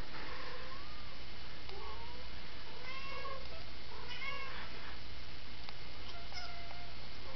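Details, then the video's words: A worried domestic cat gives a run of short, faint mewing calls, some rising and some falling, scattered over several seconds against a constant hiss. "Worried Cat"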